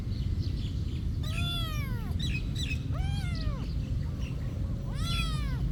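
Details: Cat living at a monastery meowing three times in quick succession, each call swelling and bending downward, over a steady low-pitched background drone.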